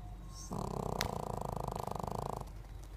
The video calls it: Snoring Pekingese